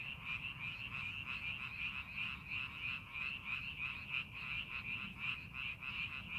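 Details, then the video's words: In rice paddies under farming preparation, frogs form a thick calling chorus: quick repeated croaks merge into a throbbing, even buzz, with soft low-frequency background noise beneath. "논에서 개구리 울음소리"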